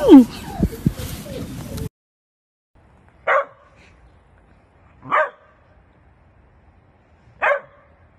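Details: Jack Russell Terrier giving three single sharp barks about two seconds apart, each short and clipped, after an opening stretch of a person's voice and handling noise.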